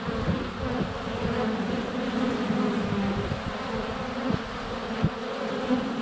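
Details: Hive entrance crowded with flying honey bees in February sun, GoPro Hero 7 Black placed close; steady humming drone with brief louder passes and sharp taps, likely bees landing on the camera.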